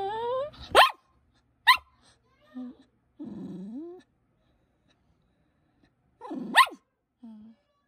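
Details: Poodle puppy seeking attention with two short, sharp barks, then a low, groaning whine, a silent stretch, another high yap sliding downward, and a brief soft whimper at the close.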